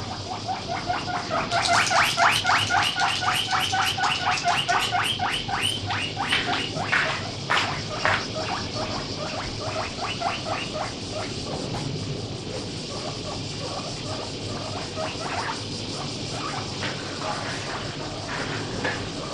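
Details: Pet guinea pig kept at home, weighing about 1 kg, loudly begging while eating grass: rapid series of high squealing wheeks, about four per second, rising in pitch and loudness early then continuing more softly; steady background hum.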